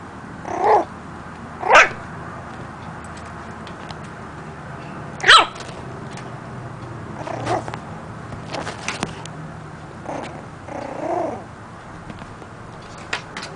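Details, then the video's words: Pet puppy learning to bark: a few short, high yipping barks spread over the stretch, the clearest early on, with quieter scattered sounds and soft room noise between them. "Cutest Puppy Barks!"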